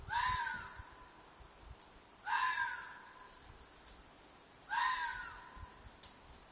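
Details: At night, a red fox in a field behind an apartment gives loud, harsh, hoarse shrieks, each about half a second long, repeated roughly every two and a half seconds.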